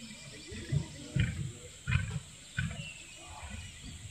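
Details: Wild lion on the open African savannah, home of roaming prides: a series of four deep, throaty grunts, each short and booming, spaced roughly every half second to second, over a steady background hiss.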